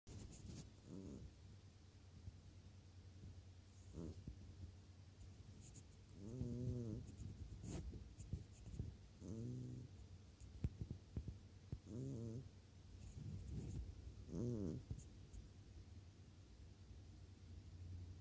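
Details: Sleeping cat snoring, low droning breaths with a buzzy, wavering tone, each snore coming every two to three seconds, over a steady low hum in a quiet room.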